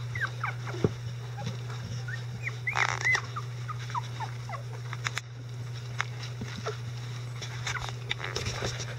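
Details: Eleven-day-old Icelandic Sheepdog puppies, getting mobile and verbal, with their mother Gaela and grandparents helping clean up; short thin squeaks scattered through the recording, a brief rustling burst near the middle, and a steady low hum underneath.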